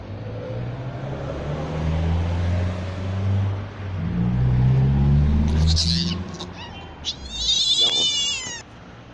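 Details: A kitten that was rescued from under a car gives high, harmonic meows in two short bursts near the end. They follow low rumbling background noise and a man's voice.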